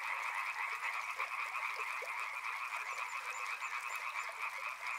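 Many frogs call at once, their rapid trills and croaks merging into a steady, pulsing drone. Running water murmurs faintly underneath the chorus.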